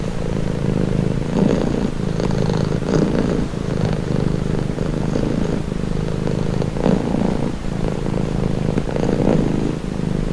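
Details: Domestic cat purring steadily, a continuous low rumble with soft breathy swells roughly every second or two as the animal breathes in and out, no other sounds.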